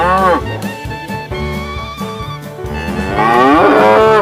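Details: Tame cows herded during the day, one giving a drawn-out, bending moo near the end over a steady backing of brass-heavy jazzy music with a regular beat.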